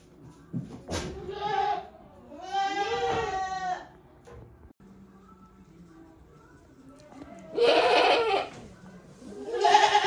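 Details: Goats in their shed on a handmade goat farm, 5 December 2023, sometimes making strange calls: a brief bleat, then a long trembling one, a quiet pause with a low hum, and two harsher, breathy bleats.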